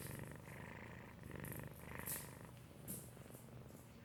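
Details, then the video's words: Asleep and purr-snoring, the domestic cat Felix gives a soft low purr with breathy pulses about every half second, fading slightly toward the end, two faint high clicks in the background. "Felix purr-snoring"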